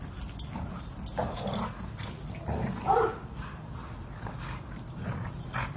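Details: Rough play between dogs in a garden, with throaty growls and quick squeaky yelps clustered in the first three seconds over a constant low grumble.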